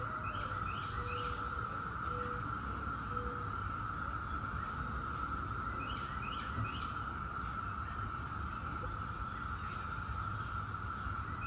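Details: Continuous even drone of periodical cicadas, Brood X, the 17-year brood, overlaid by scattered chirping birds in two short bursts and soft whistles, with low rumbling noise.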